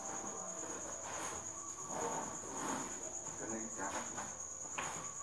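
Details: Steady, piercing high trill of many crickets at the Thanh Bình cricket farm at 8 pm, while eggs are gathered for customers; faint voices and soft handling noises sit below the constant drone.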